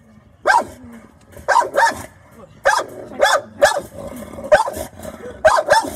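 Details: American Bully on guard, giving repeated harsh barks, often in pairs, roughly every second, with low growling underneath between barks.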